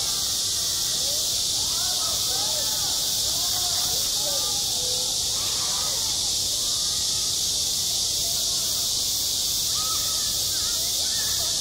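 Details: Cicadas droning on a school playground in high summer, a sustained sizzling buzz dominating throughout, with distant human voices rising and falling more audibly beneath it.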